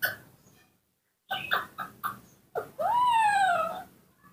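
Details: Newborn baby monkey Nomi, kept and hand-raised at home, calling for its mother: quick soft chirps, then one long clear whistled note that rises and slowly falls away, indoors with a person's voice just before and after.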